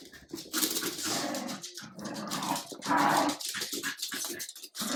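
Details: Adult Jack Russell terrier showing a French bulldog puppy who is leader: harsh, continuous growling and snarling that swells louder mid-clip, with scuffling.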